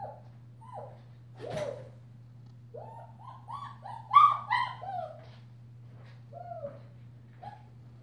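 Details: Female German Shepherd puppy, five weeks old, wearing a purple collar, whimpering in a run of short rising-falling squeaky whines, a brief louder cluster midway, then sparse soft whimpers against a constant low electrical hum.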